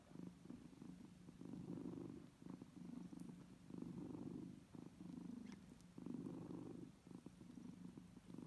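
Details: A steady, low purr from kittens suckling from their mother, swelling and fading with each breath.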